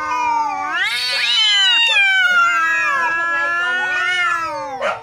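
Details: Fierce yowling from two neighbour cats in a fight, a continuous overlapping wail that climbs sharply, then bends slowly downward, ending with a short harsh burst.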